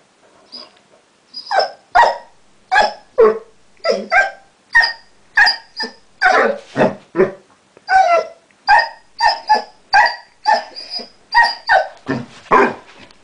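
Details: Chester the Basset Hound, newly taught to 'talk', produces a long run of short, clipped, yodel-like vocal bursts, roughly two per second, varied in pitch, like chattering syllables.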